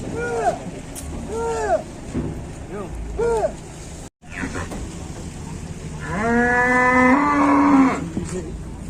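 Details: Fat cattle, called pitiful: several short arched vocal bursts, a brief dropout, then a long, loud, drawn-out moo of nearly two seconds that rises slightly at the end, over background voices.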